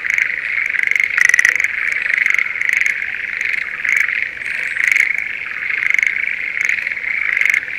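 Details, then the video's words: Breeding Schlegel's green tree frogs in a spring paddy near Sendai, Japan, give short rattling trills in quick succession, several per second, above a continuous shrill chorus background. "シュレーゲルアオガエルの鳴き声Voice of schlegel's green tree frog"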